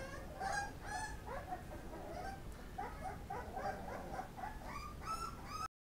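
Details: Eating Pit Bull puppies give repeated high, wavering whimpers and squeaks in overlapping clusters, ending abruptly.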